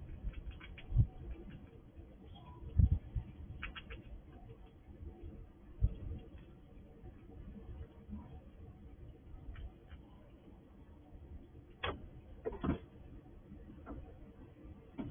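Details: Wild squirrel nosing through a sliding drawer for food at a house, giving low rustles and sharp crunching clicks, the loudest bursts coming around the three- and twelve-second marks.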